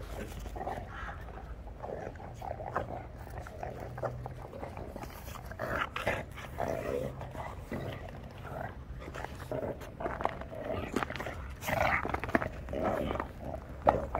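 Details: Shar Pei puppies making soft, scattered whimpers and low grunting growls throughout, with brief louder yelps near the end over a steady low hum.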